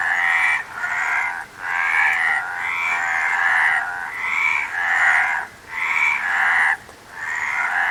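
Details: Frog chorus of grating, nasal croaks in pulsing bursts around a second long, repeated with short silent breaks, many animals overlapping.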